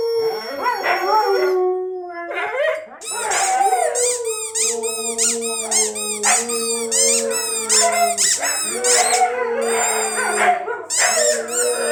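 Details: Howling pet Siberian Huskies, triggered by their squeaky toy; long, level howls with swooping starts continue under dense rapid squeaking, while a low steady hum runs in the background.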